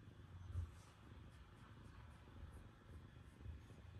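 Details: Terrace, a black cat, settles on her owner's lap first thing in the morning after a probably cold night, purring in a steady low rumble that runs unbroken through all four seconds with slight swells in loudness.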